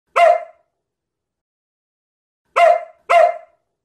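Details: Samoyed dog barking indoors: one short, harmonic bark, a two-second pause, then two more barks in quick succession, clean and loud with no other sounds.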